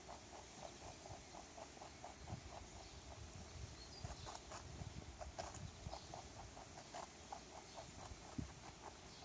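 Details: Rabbit that lost its owner and came to visit a backyard, eating a carrot; quick, even crunching bites repeated several times per second, with soft patter and a faint steady background hum.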